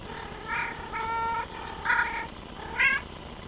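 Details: A young male Bengal cat called Teddy gives a quick run of four short meows, clear stacked harmonics, the later ones sharper and louder, over a faint steady hum.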